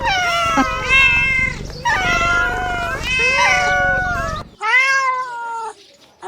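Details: Kittens at play fill the air with overlapping, wavering meows from several voices, a continuous chorus that breaks off into a short pause before one clear, downward-bending meow and a final fading call.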